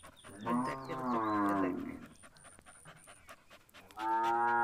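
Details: Punganur cattle around a calf drinking milk: a rising-then-falling moo of over a second, a pause with a faint intermittent high electronic tone, then another moo beginning at the end.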